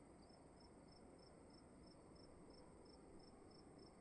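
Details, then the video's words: A single cricket in a room chirps in a very regular beat, one clean high pulse roughly every 0.4 seconds, above steady low-frequency rumble and hiss. "Sound of emptiness and crickets in the room"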